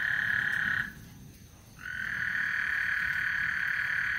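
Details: Trilling frogs at Lake Houston as a thunderstorm approaches: a rapid, even trill stops for under a second and then starts again and runs on steadily.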